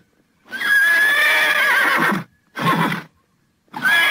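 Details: Thoroughbred horses neighing: a long loud whinny of about two seconds with a wavering tone, then a short burst and the start of another neigh after brief silences.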